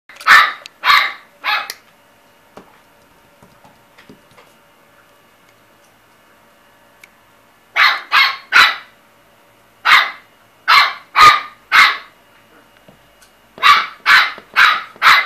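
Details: Chihuahua barking in sharp, high-pitched yaps, three quick barks, a long quiet gap, then bursts of two to four barks each, spaced roughly half a second apart.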